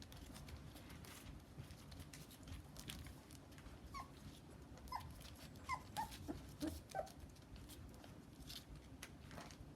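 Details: Rough Collie puppies, 26 days old, giving a cluster of soft, high whimpers and short squeaks midway through, several in quick succession, over a steady low hum with scattered clicks and rustling.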